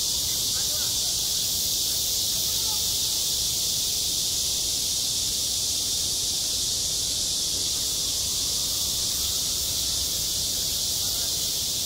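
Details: On a school playground in midsummer, cicadas keep up a relentless, even, high sizzling drone; only a few faint low-pitched background sounds show beneath it.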